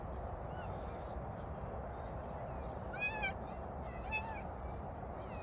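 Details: Domestic cat being called over in Korean speech; two short, thin, wavering meows around three and four seconds in, over steady low background noise.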